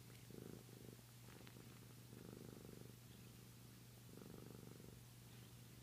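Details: A Flame Point Siamese cat purrs in slow, rumbling waves, each breath a soft low vibration, while sucking his tail, a coping habit to calm himself and fall asleep.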